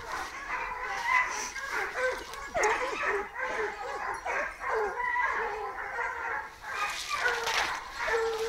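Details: Hunting dogs bark and yelp in a chase after a wild boar at the start of a hunt, a dense overlapping chorus of short, sharp barks from several dogs, some distant, with faint voices.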